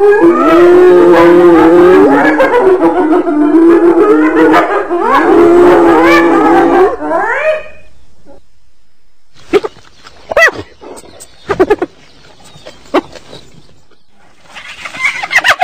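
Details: Hyena cries: several overlapping, wavering calls for about seven seconds, ending in a rising upward sweep, followed by quiet with scattered short sharp bursts.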